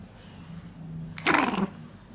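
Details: A Pomeranian dog growling: a low steady rumbling growl that breaks into a short harsh snarling bark near the middle, then sinks back to a quiet rumble.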